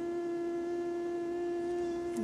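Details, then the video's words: Buzz of a second female mosquito tested in a neuroscience experiment, much lower than the male: a steady, unbroken low hum with faint higher overtones, holding one pitch throughout with no pauses. "Một lần nữa, nó lại thấp hơn nhiều so với con đực."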